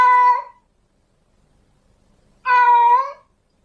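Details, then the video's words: Female domestic cat in heat calling for a male: two drawn-out harmonic meows, the first cut short at the start, the second after a long silence, each steady and slightly wavering near the end. "Suara Kucing Betina Lagi Birahi Memanggil Jantan Minta Kawin"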